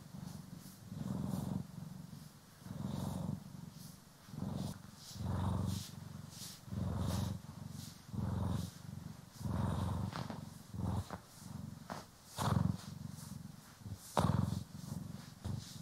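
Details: Domestic cat purring while groomed and brushed, one of the pair Poki and Kiwi, recorded in stereo; a deep rumbling purr pulsing in steady waves roughly every one and a half seconds, overlaid by crisp scratchy brush strokes.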